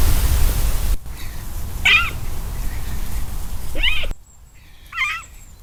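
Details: Roe deer in the August rut giving short, high, wavering squeaky calls, spaced a couple of seconds apart.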